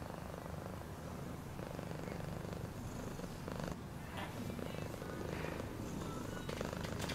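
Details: Continuous low, throbbing purr of a house cat, even and unbroken, with occasional light scratchy rustling noises.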